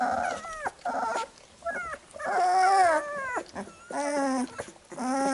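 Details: Newborn Labrador Retriever puppies whining while their mother cleans them after nursing: drawn-out, wavering cries that bend downward, broken by brief pauses, with a faint second puppy squeaking underneath.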